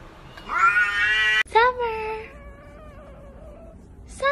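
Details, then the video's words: Domestic cat giving a long, drawn-out meow with a steady, strained pitch, then a shorter dipping meow that trails into a soft, lower call. A brief sharp call closes the sequence. "Cats talking !! these cats can speak english better than hooman"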